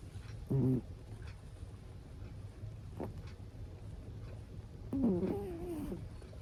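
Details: An elderly Abyssinian cat snores, giving short throaty snorts; the last is a longer, wavering, slightly tonal rasp. A constant low hum runs underneath.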